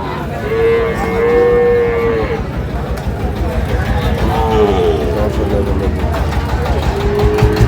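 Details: At the Ambari cattle market in Parbatipur, Dinajpur, Bangladesh, on 11 May, a Sahiwal bull calf raised for fattening gives a long, level moo, then two shorter, lower ones. A low engine rumble and faint buyers' voices continue underneath.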